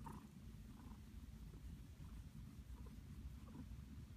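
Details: Pet cat resting happily in a blanket nest, purring in a continuous low rumble with a steady pulsing texture, close to the microphone.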